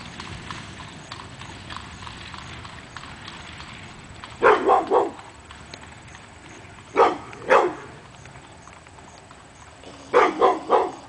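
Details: Pit bull Hemi Bleu barking at nothing on an August 2012 morning: three bursts of two or three rapid barks each, separated by several seconds of low rustling background noise.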